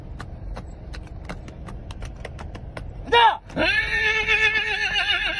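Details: On command from its owner, a horse gives a quick falling whinny, then a sustained quavering neigh with trembling vibrato, preceded by regular clicking taps and faint speech.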